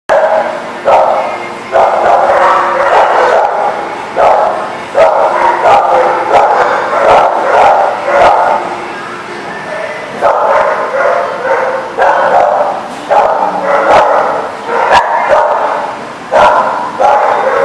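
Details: Dogs at The Barking Lot, recorded 21 June 2019: dense, overlapping bursts of loud barking come in rapid runs with brief pauses, a near-continuous chorus with sharp clattering knocks scattered throughout.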